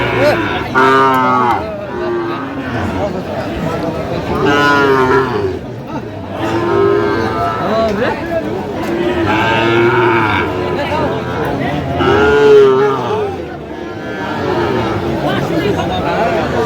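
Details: At a crowded livestock market, 17 August 2025, Sahiwal bull calves headed for Faridpur: several loud, deep moos repeat every few seconds, each a rich harmonic bellow, over steady human chatter and haggling.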